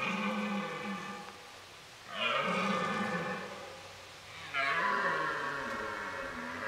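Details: Red deer stags roaring during the rut in a hunt preserve where fights are breaking out; two long, harmonic-rich bellows rise sharply and sink away, each lasting over two seconds, with a fainter lower groan before them.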